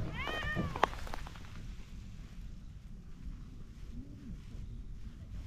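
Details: Ginger tabby cat beside a pond enjoying being stroked lets out a short bright meow, then a faint low chirp a few seconds later over steady outdoor rumble.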